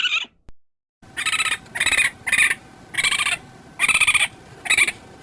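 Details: Raccoon giving rough, buzzy chittering bursts with stacked harmonics, six pulses of about half a second each, spaced roughly every 0.6 seconds after a brief opening note, in a quiet, cleaned recording.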